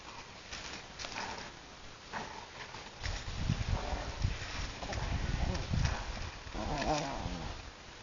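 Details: Bobby, a pet Shih Tzu, playing with Paula, a Golden Retriever: low rumbling growls build after the third second and continue in uneven bursts, with soft scuffling and panting-like noise throughout.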